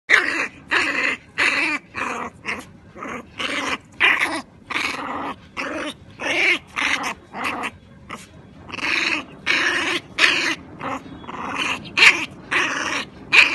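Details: Female American Pit Bull Terrier puppy up for adoption, making rasping, breathy growl bursts in a steady rhythm of about two per second, each short and noisy, in a small indoor space.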